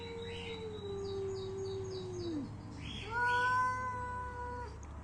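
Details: Angry cats fighting: a low, sliding growl-like moan that drops away, then a higher, steady yowl lasting about a second and a half; faint background hiss and soft chirping sounds.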